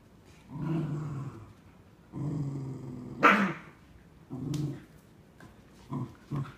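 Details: A pair of Cardigan Welsh Corgis, one aged three and a quarter years and a nearly nine-month-old who is now larger, growl while playing tug-of-war with a new toy. Deep growls last about a second each, with one sharp yelp midway and brief grunts near the end.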